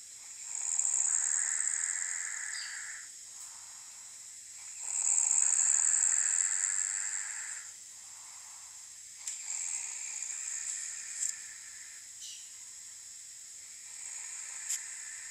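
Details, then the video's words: Guinea pig snoring: hissy, wheezy breaths in long swells about every four to five seconds, each carrying a steady buzzing tone, with quieter, softer breaths later and a few small clicks. "Hilfe,mein Meerschweinchen schnarcht!"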